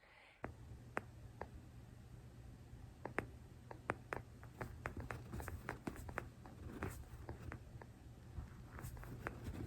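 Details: A pet sugar glider purrs in soft, irregular clicks like teeth tapping lightly or popping cereal, a sign of love and contentment, often while sleeping on its owner; audio slightly distorted.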